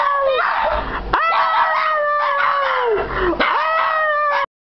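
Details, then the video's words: Duet of two household Shih Tzus: sustained harmonic howls rising abruptly at the start, holding steady, then drooping before a fresh howl begins, ending suddenly. "Shih Tzu singing sensation"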